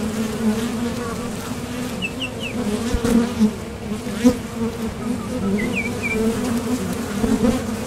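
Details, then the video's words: Honeybees at the entrance of a top bar hive, leaving and landing as they forage for nectar; steady low droning hum with a second band above, brief bird chirps twice in the background. "Bees Sound Effects | WHITE NOISE | RELAJANTE Sonido de las Abejas"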